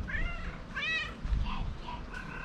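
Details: Talkative, affectionate female pet cat talking to her owner with soft meows: several short, clear, rising-and-falling meows in quick succession over low background rumble.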